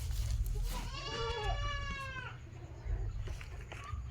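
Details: Domestic goat kept on a farm lets out a long, loud, trembling bleat of over a second, wavering in pitch, followed by faint clicks and a low continuous rumble.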